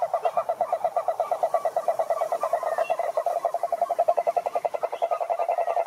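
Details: Rattling toad croak made of evenly spaced short pulses, about a dozen per second, holding steady in pitch and loudness for the whole stretch.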